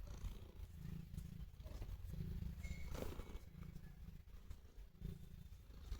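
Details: Pet cat purring while showing affection to its owner: a continuous low, rumbling purr pulsing steadily with each breath, rising and falling in roughly one-second cycles, with faint rustling alongside.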